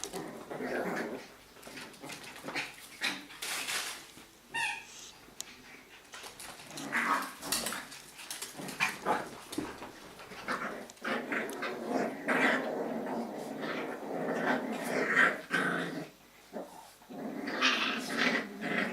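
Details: Several Jack Russell Terrier puppies of litter A at play one evening in a breeding kennel, with continuous overlapping growls, whimpers and squeaky yips, loud and busy throughout with brief pauses, in an indoor room.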